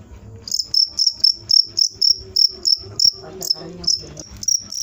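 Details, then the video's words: Cricket chirping loudly and continuously, shrill pulses repeated roughly three to four times a second, each slightly buzzy, with a soft low rumble underneath. "suara jangkrik mantap"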